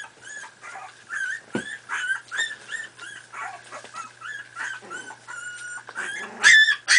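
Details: Squeaky whimpers and short yelps from 4.5-week-old Miniature Pinscher puppies playing together, a steady chatter of high, tonal little cries punctuated near the end by a louder piercing squeal.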